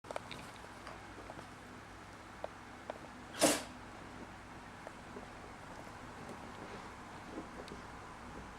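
A corgi puppy gives a single short, sharp sneeze in a quiet room.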